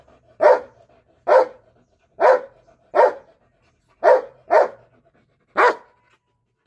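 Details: Belgian Malinois barks at a cat, giving seven loud, clean, separate barks spaced about a second apart, with quiet pauses between them and no other clear sounds.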